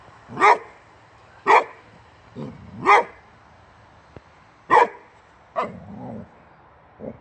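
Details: Male Swedish boxer Rex, born 2015, going crazy at the tire on a wheelbarrow; loud broad barks roughly every second, a few softer grumbling woofs mixed in, then a faint closing bark.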